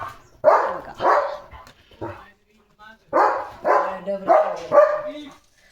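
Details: Domestic German Shepherd barking while cattle come to drink at its water tank near the gate: rough barks in two clusters, mixed with a man speaking Marathi.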